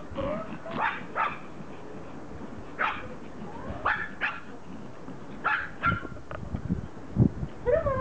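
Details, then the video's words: Excited Pomeranians reunited with their owner after a vacation, mixing sharp barks and yips with rising whines in irregular bursts. "Reunion - POMERANIANS very HAPPY to see mom"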